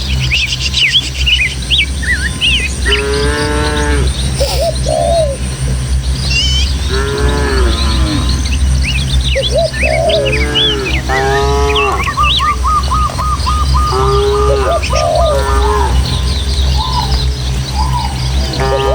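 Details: Dozens of tame village cattle herding through Indonesian countryside over hills and footpaths toward their pen: several drawn-out, harmonic moos about a second long, mixed with frequent chirping birdsong over a steady low hum and breeze.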